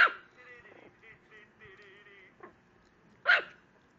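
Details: ['Small female Chihuahua barking at a computer screen: one sharp yap at the start and another near the end, with soft whiny tonal sounds between.']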